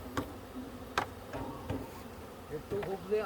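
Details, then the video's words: Honey bees buzzing in a low, steady hum, with sharp taps and knocks throughout and people talking toward the end. "Honey bee"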